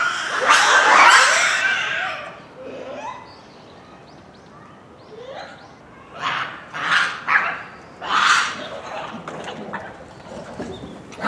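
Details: Japanese macaque troop at Hamura City Zoo, Japan, calling noisily at dusk near closing time in December 2020; a loud, harsh, harmonic call opens, followed after a quiet spell by several shorter, rising squawks in quick succession.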